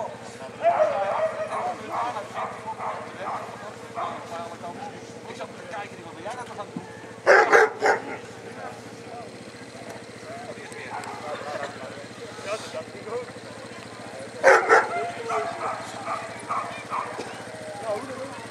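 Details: Alaskan Malamute (Canis lupus familiaris), vocalizing.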